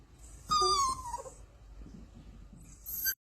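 A young pug-mix puppy lets out a single high, nasal whine that starts bright and sags lower over nearly a second. The whining signals it wants to take a nap, followed by quiet indoor rustling.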